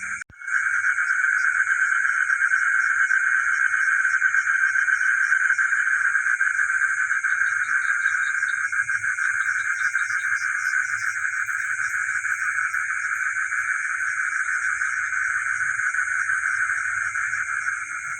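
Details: Village frogs at night, recorded together with geckos: after a brief quiet start, an unbroken wall of rapid pulsing calls at mid pitch sets in, over a persistent high whine and scattered low thuds.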